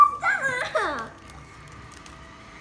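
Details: A Bichon Frise at home, during paw-shake training and a cheese treat, gives a burst of high, wavering whimpers that slide downward for under a second, then falls quiet over a faint steady hum.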